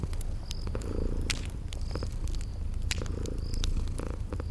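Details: Sleeping kitties purring by a crackling fireplace in a cozy spring garden setting: a steady, low rumbling purr runs throughout, with sharp fire crackles and pops and short, high insect-like chirps recurring every second or so.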